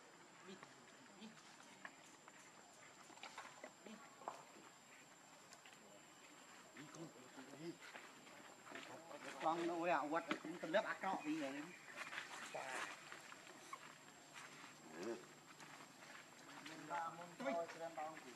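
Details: Baby monkey Leo crying and begging its mother for milk, hungry. Wavering harmonic whimpers rise in a loud burst midway, then come in shorter bouts, over rustling, footsteps and a steady high electrical whine.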